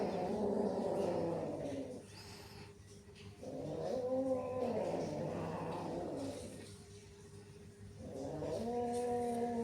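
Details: Cats hissing and growling at each other; drawn-out low wavering growls with stacked harmonics come in three long bouts separated by quieter gaps, over a steady low hum.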